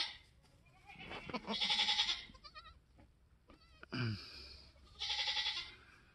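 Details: Newborn F4 Mini Alpine buckling, black with white frosted ears and nose, born March 13, 2021 on a homestead, the third kid born that day. Two drawn-out, wavering bleats, the second shorter, with a quiet gap between and faint rustling.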